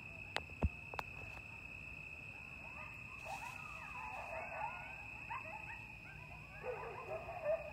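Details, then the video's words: Coyotes calling late at night over Lake Mendocino in October 2022, heard from a lakeside porch. A few sharp clicks come first, then a distant tangle of quavering yips and sliding howls, with a constant thin whine behind them. "Coyotes (Canis latrans) at Lake Mendocino Like I’ve Never Heard"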